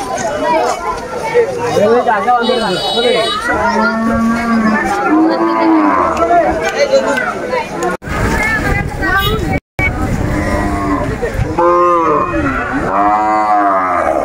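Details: Cattle at a busy market in Nayergaon bazaar, Bangladesh: several long, low harmonic moos with rising and falling pitch overlap loud crowd chatter and speech throughout, with a brief gap near the eighth and tenth seconds.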